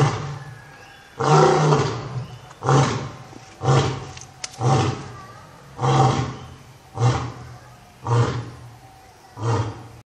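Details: Zoo lion delivering a roaring bout of nine loud, deep grunting roars spaced roughly a second apart, each swelling quickly and fading, the low throaty tone steady across the sequence.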